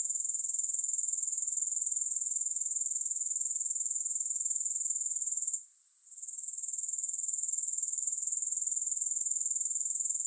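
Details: Grasshoppers sing a constant, sizzling, high trill of rapid pulses, with no music. It breaks off briefly midway, then swells back to full strength.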